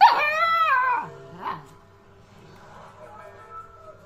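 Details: A two-month-old Alaskan Malamute puppy in conversation with its owner gives one drawn-out, wavering howl-like note that slides downward, followed by a short faint yip and quiet background.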